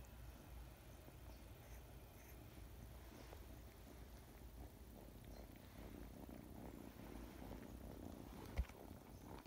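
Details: A pet cat purrs in a continuous low rumble, even and unbroken, with soft scratchy bits above and a single sharp click near the end.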